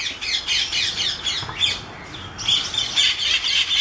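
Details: A Patagonian mara at the Oryx wildlife reserve near Riyadh gives a light, high, scratchy squeaking warning call, its jaw vibrating, repeated in quick bursts about four times a second, with a brief pause midway.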